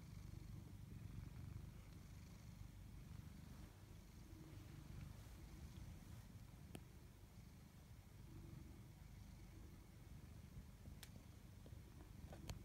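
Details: Low, continuous purring from a tabby cat, one of two named Chloe and Koda. The rumble holds a steady level throughout, with scattered faint ticks and clicks over a soft background hiss.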